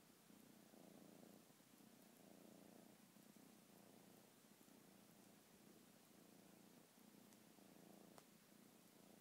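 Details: Lemur kept at an allotment, lying down while being stroked and settling to sleep; a steady low rhythmic purr pulsing through the whole stretch over a hissy background.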